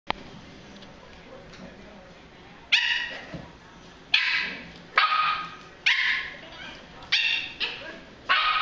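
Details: Pembroke Welsh Corgi puppies playing, giving sharp high-pitched yapping barks, about seven bursts spaced roughly a second apart in the second half, over quiet background.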